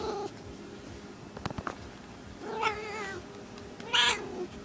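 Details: Small female domestic cat in heat calling indoors, two drawn-out wavering yowls with rich stacked harmonics, the second louder and shriller, after a few soft clicks and taps in a quiet room.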